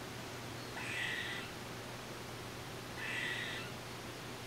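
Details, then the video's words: Two harsh, nasal buzzes from an eastern gray squirrel, about two seconds apart, recorded with a Nikon D3500 and Tamron 500mm lens against a constant low hum. "Gray squirrel sounds"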